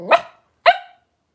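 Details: Three-week-old blenheim Cavalier King Charles Spaniel puppies, a litter of five born at New Year, wrestling and playing in an indoor puppy pen; two short, high, sharp yelping barks about half a second apart, then quiet.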